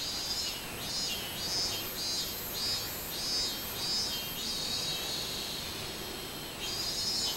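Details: Minmin cicada singing on 24 July 2016 in summer, a series of pulsing buzzy high notes rising and falling in loudness roughly every 0.7 seconds, steady and continuous, over a faint hiss of background noise.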